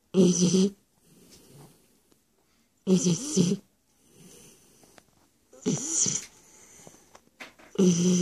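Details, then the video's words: Sleeping Shar Pei Stefani gives heavy, rattling snores every two to three seconds, a deep buzzy inhale followed by a softer breathy exhale before the next snore. "Шарпей Стефани храпит"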